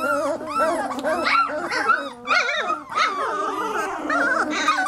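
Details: A litter of 3-week-old Lab puppies raises a dense cacophony of overlapping whines, yips and squeals, many pups crying at once almost without pause, pitches rising and falling in arched wavering notes.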